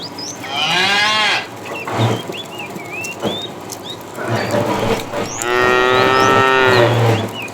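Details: Tame cows in a herd setting off on a long walk toward fresh pasture: two long, deep, drawn-out moos with rich harmonics, one at the start and one near the end, with small birds chirping in between.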